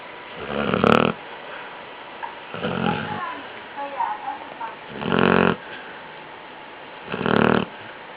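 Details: Basset hound snoring in its sleep. Four harsh, rasping snores come at irregular intervals of about two seconds, and faint voices murmur in the background between them.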